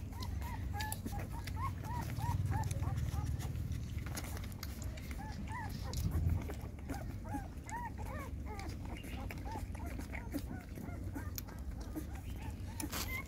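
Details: Dog mother GiGi nursing her six puppies; short, high arched squeaks and whines come in quick, irregular bursts through the clip, over a steady low hum, with a woman's voice talking now and then.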